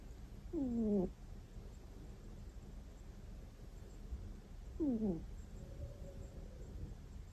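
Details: House cat dozing at home gives two whistling snore squeaks, short and sliding downward, roughly four seconds apart; a faint thin tone trails the second squeak, with quiet room noise throughout.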